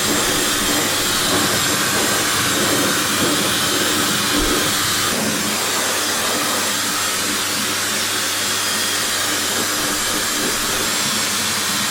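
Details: Steady broadband roar of a hair dryer, a loud hiss spread across the whole range with no break, and no animal voice heard.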